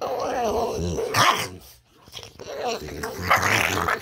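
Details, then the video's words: Boston Terrier making odd gremlin-like noises while being fed: rough, throaty growling grumbles in two bursts, the first longer, separated by a short quiet gap, with raspy snorting breaths. "Boston Terrier makes crazy Gremlin noises!"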